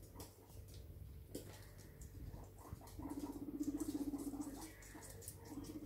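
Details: Pet guinea pigs, seven of them, out for indoor floortime exploring a new house; a low, rapidly pulsed rumbling purr lasts about a second and a half, then a shorter burst follows, over constant scuffling and pattering of feet.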